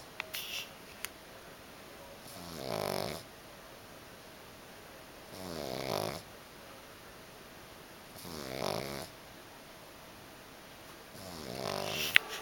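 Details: A little pug puppy snoring indoors: four raspy, breathy snores about every three seconds, each rising and falling over roughly a second, with quiet gaps between.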